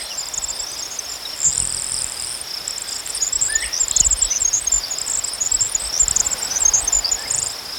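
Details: Crickets trill steadily at a high pitch beneath an upper layer of rapid pulsed insect chirps that comes and goes, with faint low rustling below.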